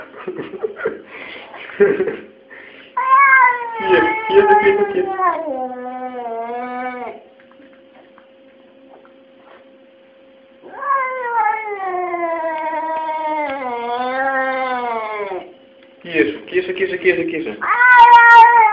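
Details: Domestic cat complaining about its fate with long, drawn-out, wavering meows and caterwauls, rising then sliding down in pitch, separated by near-silent pauses and a steady faint hum.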